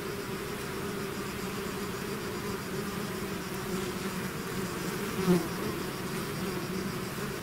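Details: Swarm of bees streaming from the hive, an even, massed buzz of many insects with low humming bands and a single nearby bee flaring louder briefly.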